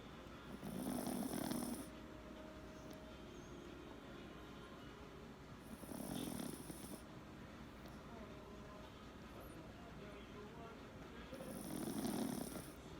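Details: An asleep Pomeranian snores loudly, three drawn-out raspy snores, each about a second long and roughly five seconds apart, with a breathy hiss on each breath and quiet in between.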